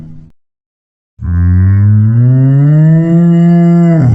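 A cow gives a long, deep, steady moo that rises slightly and then drops away at the end.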